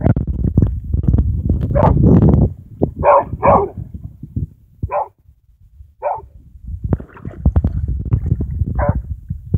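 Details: A puppy gives short, sharp yips, about five spread irregularly across nine seconds, some in quick pairs, over heavy low rumbling and shuffling handling noise close to the microphone.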